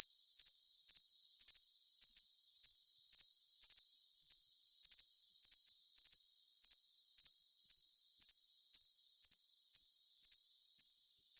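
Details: Tinnitus-masking cricket track with shrill, evenly spaced pulsed chirps coming in rapid clusters over a constant high hiss. There is no low-pitched sound at all.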